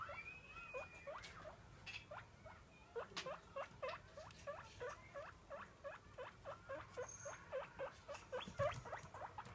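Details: Domestic guinea pig calling for food as it is fed, as it does every day: quick repeated high squeaks, about three to four a second and fairly steady, with a few longer whistles early on and soft handling noises.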